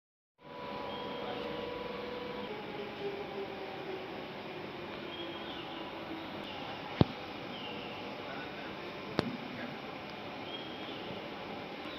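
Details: Steady mechanical hum and room noise, like a fan or passing vehicle, with two sharp clicks and no clear animal voice.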